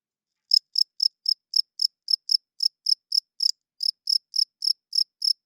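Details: After a half-second of silence, a cricket starts chirping loudly at night: bright, high, buzzy chirps about four per second, with a brief gap partway through. Quiet background.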